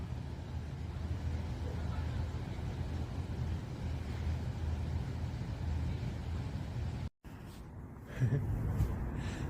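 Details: Deep, continuous traffic rumble dominates for seven seconds, then breaks off abruptly; after the gap, quieter street noise returns with a few faint voice-like sounds.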